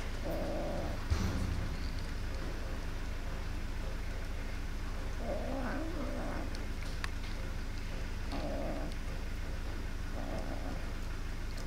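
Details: A greedy black kitten, one of three hungry kittens eating, sounds angry and gives short, rough growling mews in scattered bursts a few seconds apart over a steady low rumble of background noise.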